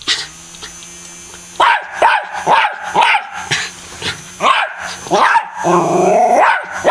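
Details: Domestic dog barking at an M&M fan it attacks, a run of sharp barks after a quiet start with a low hum, roughly two barks a second, with a steady electrical whine behind.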